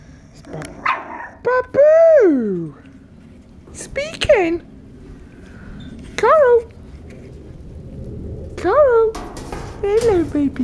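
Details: Puppies in the morning, one described as having a lot to say; several drawn-out, rising-then-falling whining calls and short yelps repeated every couple of seconds, with a woman talking softly nearby.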